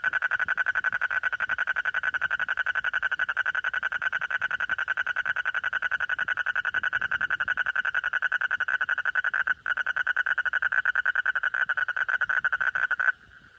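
A frog gives a loud, steady rattling trill of rapid pulses that runs on without pause.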